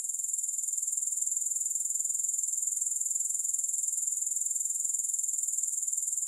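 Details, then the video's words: Unbroken shrill insect trill from grasshoppers, with no music: a fast, evenly pulsed high buzz that holds a constant level throughout without any pause. "Grass Hopper Sounds"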